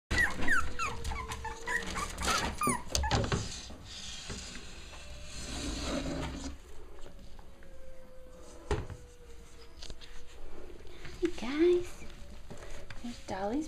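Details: Five-week-old puppies from Dolly's litter playing together, giving short high whimpers and squeaky yips in irregular bursts, with scuffling and bumping underneath and a steady faint tone running through.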